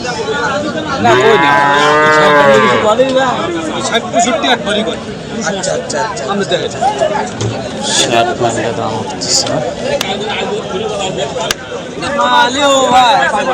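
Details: Brief moo under two seconds from cattle at the Hasukhali market, Friday 2025, followed by crowd hubbub and men talking, with a faint second low near the end.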